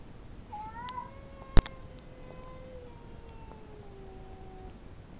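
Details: Female house cat yowling territorially at an intruding cat in the backyard: a long, drawn-out wavering moan that rises sharply, then slowly slides downward over about four seconds, with one sharp click midway.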